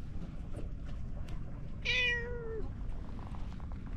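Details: Cats rolling about on a seaside road; one gives a single clear meow lasting about half a second, steady then gently falling at the end, over a constant low rumble of outdoor background noise.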